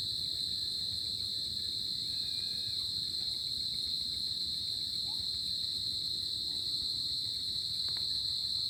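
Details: Crickets at night in summer produce a dense, even, high-pitched trill, with a faint distant warbling note and a click near the end.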